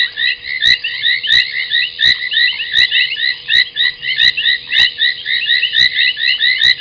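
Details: Late-night waterhole scene at Gowrie dam, Djuma Game Reserve, South Africa, 23:46 on 30 January 2021: a thick chorus of foam nest tree frogs giving squeaky, grating croaks, with evenly spaced sharp clicks and a low steady hum.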